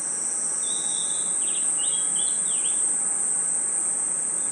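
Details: A night forest chorus of crickets and insects sustains a sharp, ringing high drone, overlaid by a sequence of short whistled and swooping chirps in the middle of the clip.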